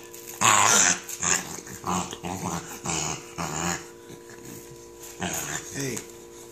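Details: Female corgi struggling to take off her velcro Thundershirt, indoors; a sharp high yelp followed by a series of rough, rasping growls and snorts, interrupted by a person's exclamations.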